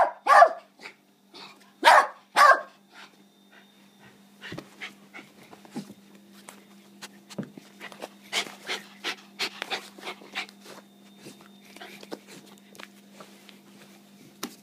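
A West Highland White Terrier gives a few loud, sharp barks, followed by softer scattered yips and snuffles.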